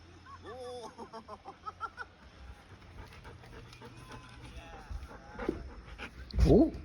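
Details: Chobi the Golden Retriever, a pet puppy waiting indoors for the rain to stop so it can meet a friend, gives a quick run of short, harmonic whining yelps, then a louder voice and household noise follow.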